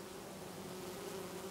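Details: Bees feeding on lavender in a garden in Brittany in August, many visiting the flowers; a steady, low droning hum with a smooth even tone that holds without break.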